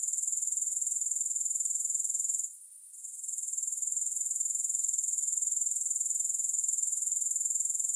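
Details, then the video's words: Continuous shrill grasshopper trilling, no music, rapid even pulses at a very high pitch, interrupted by a brief quiet gap midway before resuming just as steadily. "3 Hours of Grass Hopper Sounds"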